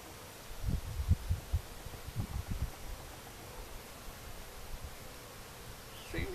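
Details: Honeybees from a big hive being split into new colonies, left to raise their own queens, the bees running a little hotter than liked; low rumbling buzz with handling bursts over the first three seconds, then a quieter hum and a faint bird chirp.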